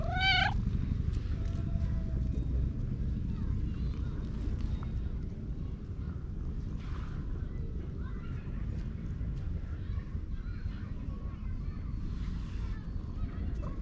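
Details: A park cat meowing while purring, so its cry sounds like a purr-meow; one clear rising, wavering meow at the start, then a low continuous rumble with faint outdoor noise.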